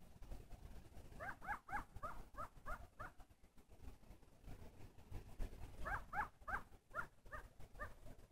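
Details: Coyotes yipping in two short bursts of rapid, high, harmonic yelps, the first run of about seven notes, the second of about six after a pause, over a steady low rumble of background noise.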